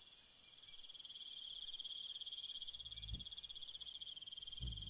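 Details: Crickets calling at night with a steady, pulsed trill and a high ringing background that thins halfway through; two soft, low thumps break in near the end.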